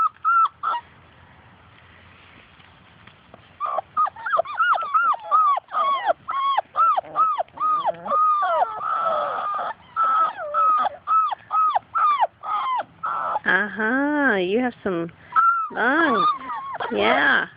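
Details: Labrador Retriever puppies from Grace and Sam's litter, playing outside and chasing their mother, whine and yelp nonstop: rapid short squeals, some wavering and warbled, at about two or three per second, with a person's voice talking to them.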